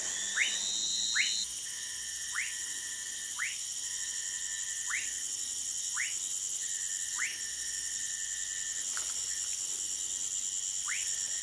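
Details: Orinoco lime tree frog from Manaus, Amazonas, Brazil, giving quick rising whistle notes at roughly one-second intervals, about nine in the series, set against a continuous high insect chorus.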